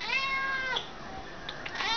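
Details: A house cat indoors, being asked to sit before dinner, gives a clear meow that falls in pitch. A brief pause follows, then a softer rising meow.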